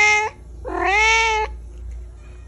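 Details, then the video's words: Loud meowing from a little black pet cat: a brief clipped meow followed by a long, bright, slightly rising meow lasting nearly a second, then quiet with a faint low hum. "a little black piggy meowing loudly"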